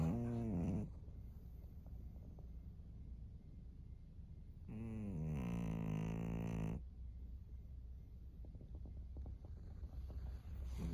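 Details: A thirteen-year-old fawn female pug snores in Japan, March 2024. A low rumbling snore ends near the start, then a pause of quiet breathing, then a two-second grating, buzzy snore, with a new one beginning at the end.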